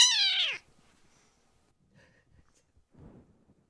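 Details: Rescued baby kittens being loud and boisterous, startling the older brother cats: one loud, high kitten meow that falls in pitch over about half a second, followed by faint rustling.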